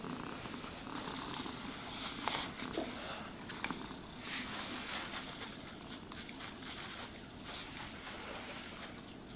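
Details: Cat being groomed with a brush, a soft continuous purr under scratchy brushing strokes and occasional light taps.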